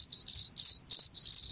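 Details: High-pitched cricket chirps come in short buzzy bursts, some overlapping and blurred together, separated by brief pauses. The recording is meant to keep rats away.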